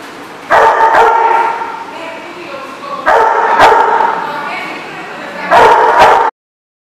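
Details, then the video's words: Dogs barking on 16 May 2014, three loud bouts about two and a half seconds apart, each a sharp bark followed by a drawn-out harmonic whine or howl, ending abruptly. "The Barking Lot"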